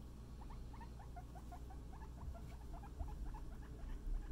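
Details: Guinea pig Scruff during floor time, playing with a friend: a rapid run of short, rising squeaky chirps repeated several times a second, with low rumbling handling noise beneath.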